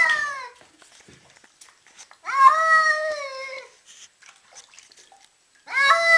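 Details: Agitated cat freaking out: sustained, slightly wavering, wailing meows lasting over a second, separated by brief quiet gaps, with a third yowl starting at the end.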